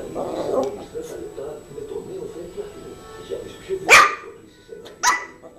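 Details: Female Yorkshire terrier Zizel at play with her new mouse toy gives two short, bright yaps about a second apart, following a stretch of indoor human talking.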